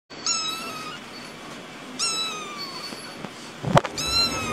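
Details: Kittens giving high, thin meows that slide downward, three separate cries spaced about two seconds apart, with a sharp knock just before the last one.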